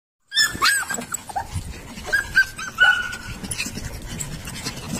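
Young Rottweiler puppies whimper and whine in short, high squeaks, several drawn out and falling in pitch. Soft panting and faint rustling noise fill the gaps between calls.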